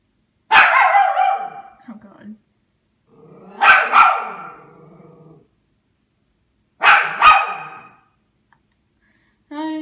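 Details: Leo, a one-and-a-half-year-old Toy Poodle indoors at Christmas, barks at the tree in three sharp bursts a few seconds apart, each trailing into a short growl, while a woman talks to him.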